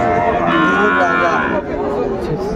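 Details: Sahiwal bull calf at a Chattogram cattle market, Bangladesh, 13 December 2024. A sustained, level moo holds for about a second and a half amid loud background talk from buyers and sellers.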